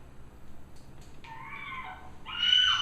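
A monkey gives two high, tonal calls, the first sliding downward and the second louder and squealing.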